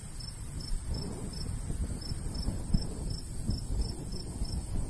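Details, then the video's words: Countryside crickets in summer near a wheat field chirp in crisp high pulses, about two or three per second, while a light breeze rumbles and gusts low in the background. "Countryside/cricket sounds"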